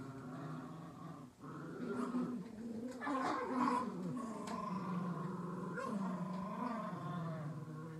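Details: Two dogs, Latte and Mocha, growling in their daily fight over a toy squirrel; a continuous low, rumbling growl with rough harmonics that swells louder midway and holds steady to the end.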